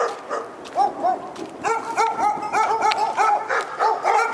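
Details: Dog in Pyrga yapping rapidly, around three high-pitched barks per second in an almost unbroken string, each bark short with an arched, squeaky tone.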